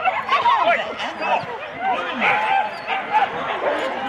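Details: Husky sled teams of four dogs at the start in Rendlesham, January 2016, on analogue cassette: dense overlapping yelps, barks and wavering whines from many dogs, steady and excited throughout.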